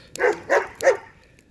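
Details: A dog outdoors in a yard barks at a fire, giving three quick, sharp, mid-pitched barks about a third of a second apart, each with a hard onset and a brief ringing tail.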